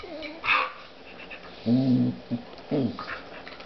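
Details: During play between Spruce, a female dog, and her new puppy, a brief high yelp is followed by a drawn-out nasal whine and two shorter whimpers, over soft scuffling.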